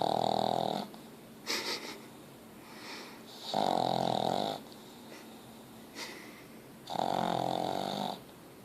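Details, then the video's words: Ozzy, a pet pug, snoring loudly indoors: long buzzy rasping snores about a second each, recurring every three seconds or so, with softer wheezy breaths between them in a quiet room. "Meu pug Ozzy roncando"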